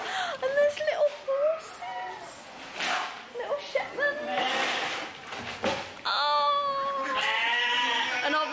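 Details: Sheep at Hatton Country World farm during a strawberry-picking day out bleat with wavering, nasal calls while people chat nearby.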